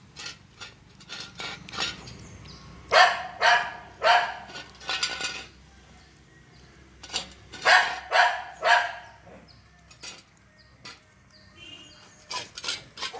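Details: Forty-five-day-old Saint Bernard puppy eating curd, letting out bursts of shrill, harsh puppy barks in uneven clusters of two to four, with pauses between, plus faint clicks and rustling.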